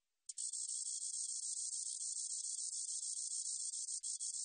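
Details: Continuous shrill, buzzy trill of a spotted meadow katydid lasting four seconds, with a rapid regular pulsing texture and a faint click near the end, nothing else audible.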